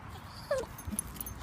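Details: A male Staffordshire Bull Terrier gives a brief, high, falling whine followed by soft grunts.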